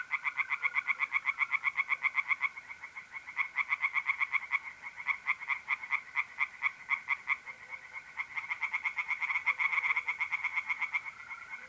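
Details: Several tree frogs calling together from a pond at night in mid-April, North-East Italy, their quick rattling croaks overlapping in long bursts with short gaps, over a faint continuous trill of mole crickets.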